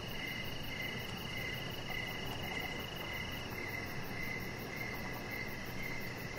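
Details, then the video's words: Evening cricket chorus outside by a deck: evenly spaced, high-pitched chirps pulse roughly twice a second against steady broadband hiss, with no other clear sounds. "Chihuahua Puppy Laying On Deck with Cricket Sounds"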